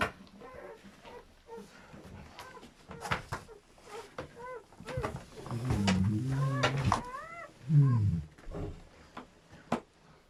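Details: German Shepherd in labour, delivering a litter of seven puppies: thin arched squeaks recur through the clip, a low drawn-out groaning whine swells midway and again near the end, with scattered clicks and faint voices indoors.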